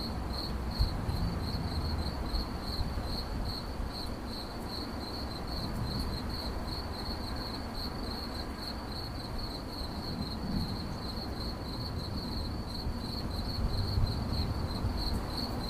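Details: Cricket chirping in 8D audio: a steady high-pitched trill of rapid, evenly spaced pulses, several each second, running without pause over a low, constant rumble of background noise.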